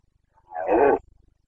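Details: A single hoarse roar swelling over half a second and cutting off abruptly, from a red deer stag of the Carpathians during the Bucovina rut, the boncănit, recorded 29 September 2022.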